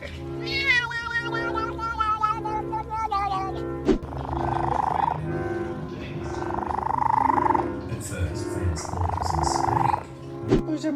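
A domestic cat lets out a drawn-out, harmonically rich yowl that starts high and sags lower before breaking off. Rougher, noisier sounds follow, mixed with steady background music, laughter and a person's voice.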